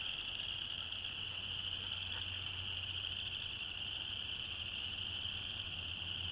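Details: Chorus frogs calling in Alabama in January, a dense steady high trilling band of many callers running without pause, with a low hum underneath.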